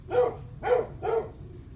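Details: A dog barking on the morning of July 9 at 8:38 am: three short, sharp barks about half a second apart, fairly strong against a low steady background rumble.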